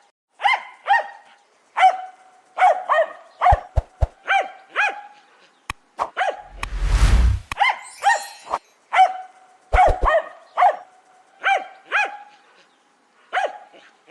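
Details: Jack Russell Terrier barking steadily in sharp doubles and singles, with knocking thumps and a loud rushing noise burst midway.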